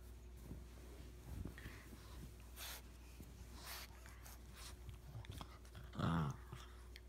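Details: Puppies at play indoors, Rigby romping with a newly arrived puppy: scattered snorts and scuffling noises, then a short, low growling yip with a brief higher edge near the end, in a small quiet room.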